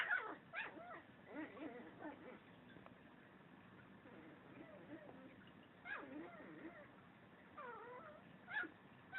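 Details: Mobee, a Chihuahua having fun playing by himself indoors, makes funny noises: wavering, whiny whimpers and sharp yips in bursts near the start, around 1.5, 6 and 8.5 seconds, with quieter warbling moans between.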